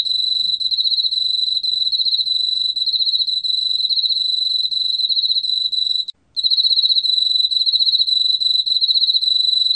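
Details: Continuous high-pitched trilling of an Emma field cricket, recorded for Korea's National Institute of Biological Resources in 2020, broken once by a brief gap near six seconds before the rapid, even pulses resume.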